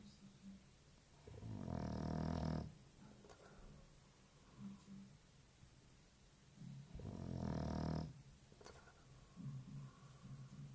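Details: Sleeping English Bulldog, described as very lazy and sleeping over 16 hours a day, snoring indoors; two long rasping low snores about five seconds apart with softer breaths between.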